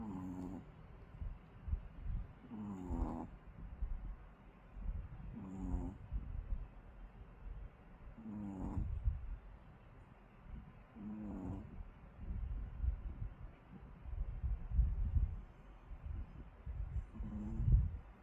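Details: Tired Pomeranian dog asleep and snoring: rhythmic, buzzy, rasping snores repeating about every three seconds, seven in total, with soft breathing rumbles between them in a quiet room.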